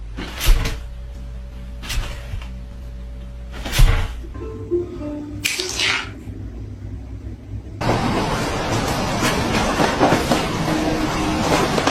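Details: Music with percussive hits and sustained tones, ending in a dense noisy wash, with no animal voice heard.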